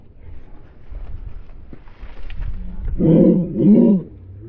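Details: A Beagle, a hunting dog breed, gives two loud, drawn-out, throaty barks after a few quiet seconds.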